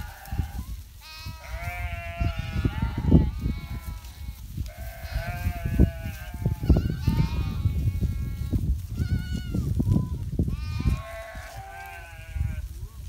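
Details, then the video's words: Domestic sheep of a Himalayan shepherd's flock in winter bleat repeatedly, several animals overlapping in wavering, nasal harmonic calls, some rising and falling, over a steady low rumble of wind or movement. "Shepherd Life in Himlaya//calling sheep's stap Chang winter season"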